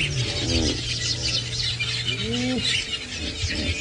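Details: At sunrise around 5 AM on 10 January 2018, in cold weather by a dam in Djuma Game Reserve, Sabi Sand, South Africa, hippos give deep, rolling grunts in two rising-then-falling bursts over an engine hum and bird chatter.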